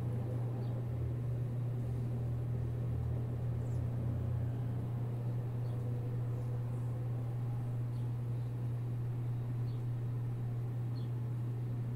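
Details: A constant low electrical hum with a few faint ticks, and no animal voice.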